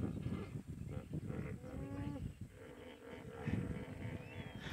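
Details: Excited hippos call together in a deep, rumbling chorus of repeated grunts and honks near a crocodile on safari in Greater Kruger, South Africa, or the Maasai Mara, Kenya.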